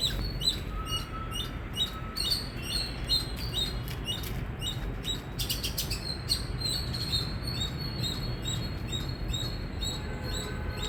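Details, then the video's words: Indian squirrel giving loud chirping: sharp, high, clipped chirps repeated rapidly in irregular bursts throughout, some doubled, over a steady low rumbling background noise. "Squirrel Sound | Squirrel Voice | Loud Squirrel Chirping Sound"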